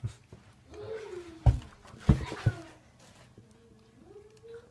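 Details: Female Korean Jindo indoors, whining politely because she wants her toy: a thin, high drawn-out whine that slides downward, a few loud knocks and short voice sounds, then a second steady whine that climbs slowly at the end.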